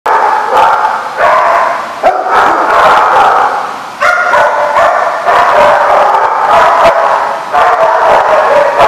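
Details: Many dogs bark together in a kennel-like lot, a dense overlapping chorus of loud, sharp barks and yips with harmonic tones, continuous for about nine seconds with brief dips in level.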